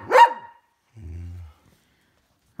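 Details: Poodle during tug of war lets out a single sharp bark, then a brief low hum and silence.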